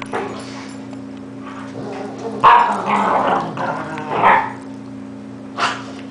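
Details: Yumi, ten months, wrestling playfully with Louis: a few loud barks around the middle separated by rough growling, ending with one last short bark, steady background hum.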